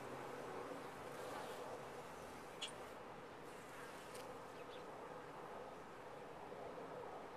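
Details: Honey bees humming inside a top-bar hive, an even, dense buzz throughout, broken only by a couple of quick faint clicks.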